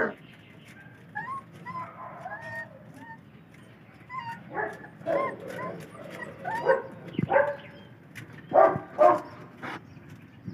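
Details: Belgian Malinois puppies, four weeks old, whine during their first meal of wet dog food. Scattered high, bending whimpers give way to louder, shorter yelps near the end, over a background of eating noises and faint human speech.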